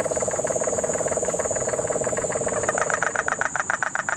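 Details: Puerto Rican crested toad in Guánica Dry Forest, Puerto Rico, during the September 2007 rains. Its fast, steady, low pulsed trill is joined near the end by louder, higher-pitched pulses. A constant high insect hiss sounds throughout, and cane toads are audible in the background.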